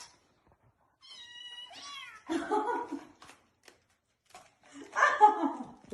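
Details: Cat indoors giving two drawn-out, wavering meows about three seconds apart. A thin, steady whistled tone that bends downward comes first, and the room is otherwise quiet.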